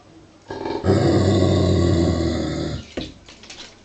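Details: A 49 kg male Giant Schnauzer, uneasy about a 7 kg wooden toy sheep covered in real sheepskin, gives a deep, steady growl lasting about two seconds, ending in a short snort.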